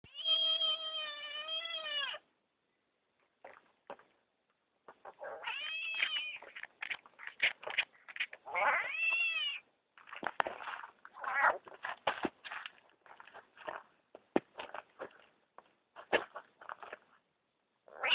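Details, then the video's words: Frog found in a driveway, angered after being handled by a child: loud wavering, cat-like wails with stacked harmonics, several long drawn screams and shorter bursts, separated by clicks and rustling. "Frog or Cat!!"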